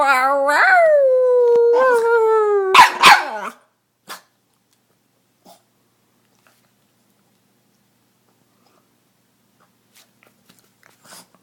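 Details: Female Boston Terrier pet giving a weird high squeal that swoops upward and holds, a second shorter squeal, then a couple of sharp barks before near silence with faint scattered clicks.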